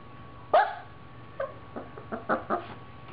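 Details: A playful Siberian Husky puppy gives one sharp yelping bark, then a run of softer, quick yips.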